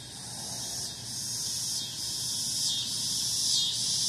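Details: Cicadas: continuous high shrill buzzing, swelling and pulsing in waves roughly every second, over a steady low background hum.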